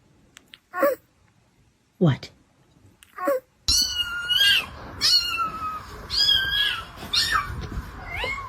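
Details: Domestic cat meowing: a few short scattered sounds, then a run of drawn-out, wavering meows repeated roughly once a second over steady background noise, with human voices mixed in.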